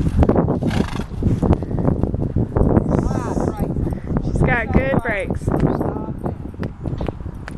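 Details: A mare being ridden at a smooth trot: a fast, steady patter of dull hoofbeats runs throughout, with a person talking in the middle.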